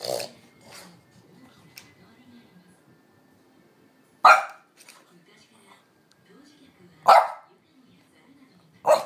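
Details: French Bulldog named Amelie, normally quiet, barking to demand a walk while the owner dawdles; loud sharp single barks spaced about three seconds apart, with quieter low whines and grumbles between them.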